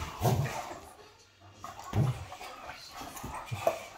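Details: Two Great Danes, a male and a female, wrestling in play indoors: short, deep grunting growls in bursts near the start, around two seconds and again at the end, with quieter rustling between.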